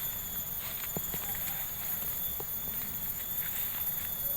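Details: On a walk through a village in Subang, insects keep up a steady, thin, high-pitched whine beneath the crunch of footsteps.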